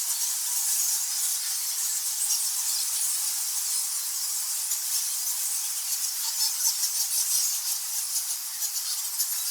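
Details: Thousands of nectar bats in a cave fill the air with a continuous, shrill chatter of countless overlapping very high, thin squeaks and squawks, a steady hissing din with no single voice standing out.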